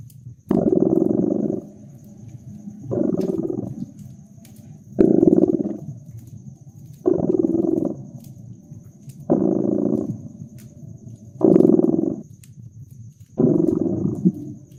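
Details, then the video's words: Domestic cat purring steadily near a crackling fireplace, winter ambience; the throaty vibrating rumble swells roughly every two seconds in one-second bursts, quieter rumble between, while small pops of burning wood tick in the background. "Relax with Purring Cat and Caracking Fireplace"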